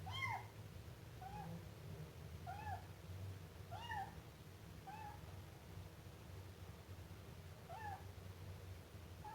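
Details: Siamese kitten mewing repeatedly, around six short, bent, high-pitched cries spaced roughly one to two seconds apart, some louder than others, with a low droning hum underneath.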